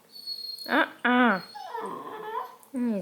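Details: Redbone Coonhound puppy being bothered by a cat, whining in several drawn-out, wavering harmonic cries, the first two close together and a third after a pause; a person talks softly in between.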